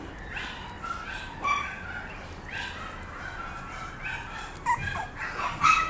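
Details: Bibi, a Papillon puppy, whines in short, thin, squeaky bursts spaced about a second apart, with a few higher piping notes toward the end; a low background hum throughout.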